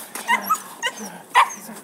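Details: A 3.5-month-old Belgian Malinois puppy gives a few short, high, clipped yips in quick succession.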